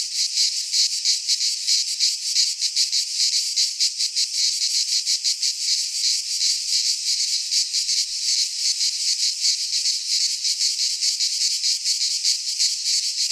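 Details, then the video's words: Cicadas in full midsummer song within a Greek pine forest: a steady, high, hissing drone with rapid pulsing texture, constant in volume, no birds or other noises mixed in. "Cicadas singing in midsummer - Nature sounds from the Greek fauna - Sounds of cicadas"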